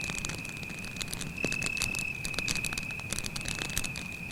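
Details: A cricket trills nonstop in a dark forest by a campfire, one even high-pitched tone under dense crackling and a single snap of burning wood.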